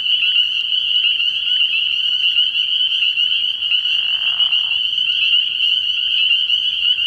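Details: Dense chorus of spring peepers from a frog pond after dark early in the year; steady, shrill high peeping throughout, with one lower buzzing trill lasting about a second midway.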